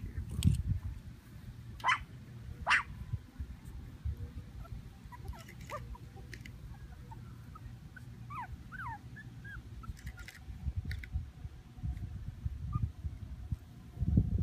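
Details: Havanese puppies from a Plano, Texas breeder let out scattered thin whimpers and squeaky yips, a cluster of curling notes near the middle, amid rustling, low background rumble and occasional sharp knocks.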